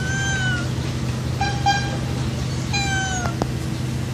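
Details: Hungry street cat meowing loudly for food: a long drawn-out meow, a short broken double meow, then another long falling meow, with steady low traffic rumble beneath.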